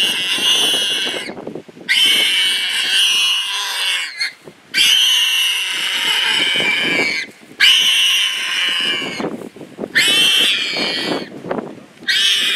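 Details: Wild pig caught in a leopard attack screams repeatedly: five long, shrill, grating shrieks, each lasting one to two seconds and separated by short pauses for breath.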